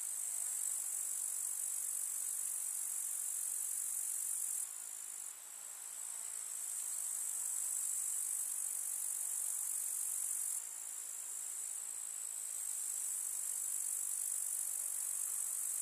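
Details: Summer meadow grasshoppers in a rural setting, a continuous shrill high buzzing chorus with brief dips and abrupt shifts in intensity around five and eleven seconds, otherwise unbroken and steady.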